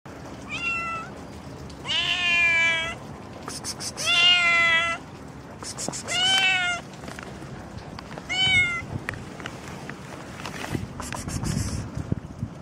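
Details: Pregnant domestic cat meowing outdoors after morning rain: a series of drawn-out, wavering meows, some rising then falling, about one every two seconds, with quieter chirpy sounds and faint background noise between calls.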